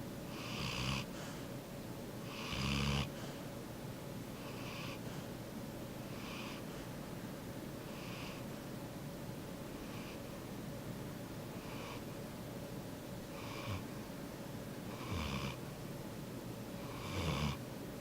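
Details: Sleeping yellow Labrador Retriever snoring aloud; soft airy breaths about every two seconds, a few louder rumbling snores standing out, steady room hiss underneath.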